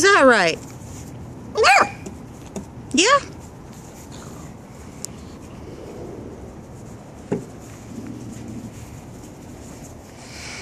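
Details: Playful nine-week-old Cardigan Welsh Corgi puppy named Hershey giving three short, high, falling yelps over the first few seconds, then quieter thumps and scuffles, with human voices in the room.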